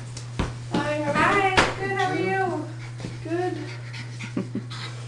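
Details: Seven-week-old Bulldog puppies indoors give high, wavering whimpers and whines in bursts, with pitch sliding up and down, over a constant low electrical hum and a few soft knocks.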